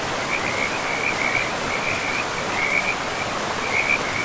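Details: Forest river frogs produce short clustered trills at a steady high pitch, coming in patchy bursts every half second or so, partly masked by the even hiss of rushing river water.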